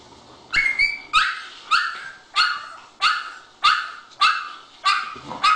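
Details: Puppies barking: a series of nine short, high yappy barks, each a sharp burst with a quick falloff, coming roughly every 0.6 seconds in a steady run.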